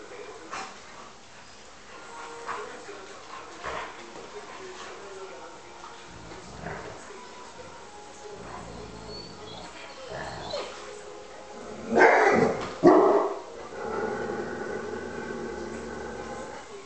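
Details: Two Alaskan Malamutes play-fighting, with scattered grumbles, then a burst of loud yelps and a drawn-out, harmonic whining moan.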